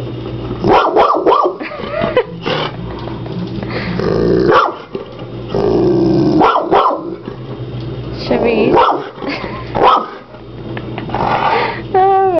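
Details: Chevy, a French mastiff kept as a pet, barks at a hermit crab it dislikes, said to bark at it for hours; heavy barks in quick runs, rumbling growls and a final whine, with a person reassuring the dog.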